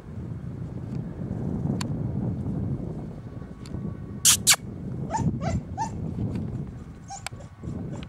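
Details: Golden Retriever x Newfoundland dog (Canis familiaris), whines.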